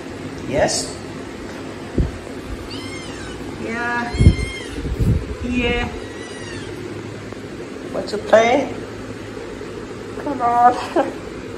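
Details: Kittens asking for food let out repeated high, harmonic, wavering meows spread across the recording, mixed with thumps, handling noises and soft human speech indoors.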